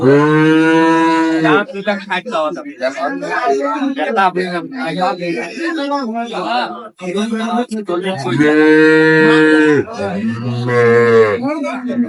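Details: Dairy cows and calves of improved breed at a cattle market in Ambari, Dinajpur, 23/5/25. A long, steady moo opens, followed by talk; two more sustained moos come near the end, with men bargaining loudly around them.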